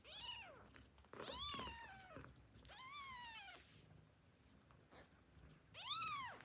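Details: Newborn domestic kittens, just woken and hungry, give high, thin meows that rise and fall, calling for their mother before nursing.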